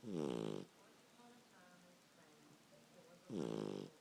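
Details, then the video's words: Sleeping pup snoring: two loud, rasping, harmonic-rich snores about three seconds apart, each lasting roughly half a second, with quiet television dialogue running underneath between breaths. "Snoring pup"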